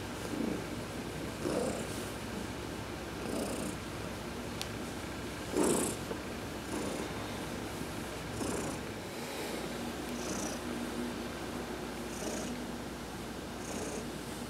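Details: Heidi, a pet cat, purring steadily while being massaged during a sun bath on November 19, 2020. A low rumbling throb runs throughout, broken by occasional soft rubbing or brushing noises and faint high tones.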